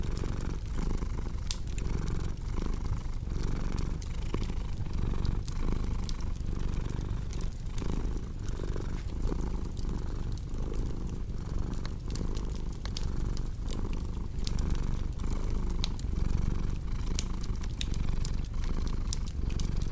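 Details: Domestic cat purring, a steady low rumble that swells and fades in breathing cycles about every second, layered with sharp crackles and pops from a wood fireplace throughout.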